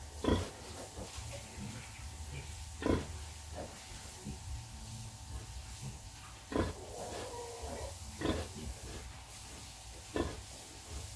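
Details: Nursing sow with piglets: rhythmic low grunts recurring every two to three seconds, each a brief rough burst, over a steady hiss and faint background hum.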